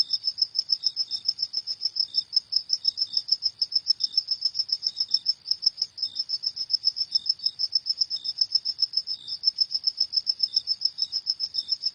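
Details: Night-time cricket chorus of rapid, shrill chirps pulsing continuously, a second softer and slightly lower chirp dropping in now and then, otherwise quiet.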